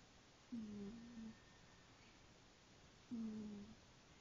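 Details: Sleeping female house cat Cookie snores, giving two low, droning, hum-like breaths about two and a half seconds apart, each briefly steady then dropping off, with soft room noise between.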